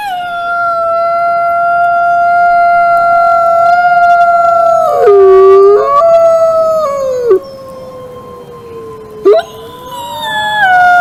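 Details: Wolves howling in a chorus of several overlapping voices. Long, steady, mournful tones slide slowly downward. One voice dips lower and wavers midway, and a fresh howl cuts in with a rising start near the end.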